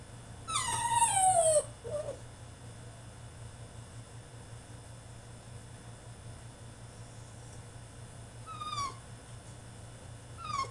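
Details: French Bulldog throwing a tantrum in his cage: one loud, high whine sliding steeply downward near the start, a short squeak after it, then long quiet with two faint falling whimpers toward the end, low indoor hum beneath.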